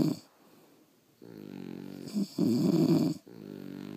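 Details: Sleeping French Bulldogs snoring indoors at night; a quiet breath, then rough, harmonic-rich snores swelling in low, buzzy bursts, the loudest around the middle, followed by a softer rasping inhale.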